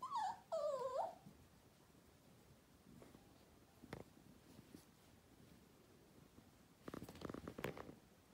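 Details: Miniature Poodle puppies, 10 weeks old, North Carolina: two wavering, high-pitched whines fill the first second, followed by quiet with scattered thumps and rustling noises.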